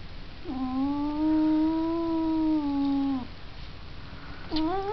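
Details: Domestic cat yowling: a steady, drawn-out nasal wail lasting nearly three seconds, holding an even pitch before cutting off, then a second rising wail starts at the end; quiet indoor background.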